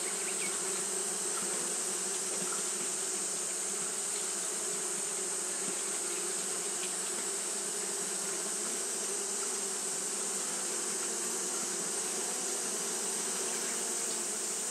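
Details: Fanning Japanese honey bees on a hot day produce an unbroken low drone with layered humming tones. A steady shrill hiss sits high above throughout.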